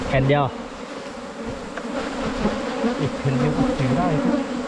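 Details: Asian honey bees (ผึ้งโพรง) during a 2022 wild honey hunt, a steady low droning hum with a layered tone that holds throughout, a brief human voice near the start.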